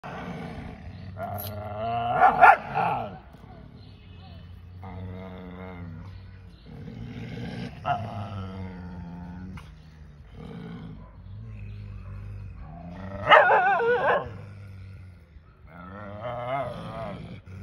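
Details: Two dogs barking at each other; low rumbling growls swell into rough, harsh bark-roars in bursts every few seconds, strongest near the start and again toward the end.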